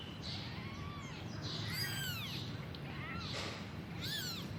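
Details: Kitten calling for its mother: four high, thin, arched meows with rich harmonics, each rising then falling, spaced about a second apart over steady low background noise.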